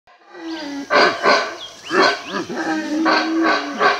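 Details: A male howler monkey in Belize answers a guide imitating its howl, roaring in hoarse, throaty, rapid pulses, each burst surging then dropping away, with a few faint bird chirps above.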